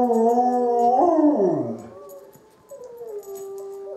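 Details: Wavering multi-voiced howl from Izzie the dog answering wolves, sliding downward and fading after about two seconds; a softer, level howl returns and holds steadily to the end.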